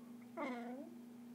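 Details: A pet dog making a weird noise: one short wavering whine, about half a second long, rising then falling, with a steady hum behind it indoors.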